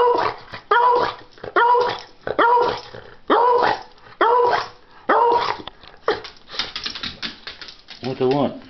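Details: Indoor dog demanding a treat, barking non-stop: a steady run of about eight loud, clipped barks roughly every second, then a rougher, broken bark and a man's voice at the end.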